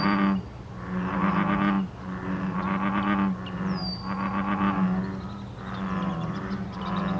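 American bullfrogs call in chorus, deep droning jug-o-rum notes that overlap and repeat in their mating chorus.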